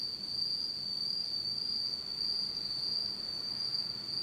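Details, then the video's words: Insects singing on an autumn night in Japan in total darkness: one unbroken, high, steady shrill trill holding a single pitch, with a faint flickering shimmer above it and no other sounds. "真っ暗闇の秋の虫の声 Beautiful sound of insects in the fall of Japan in total darkness."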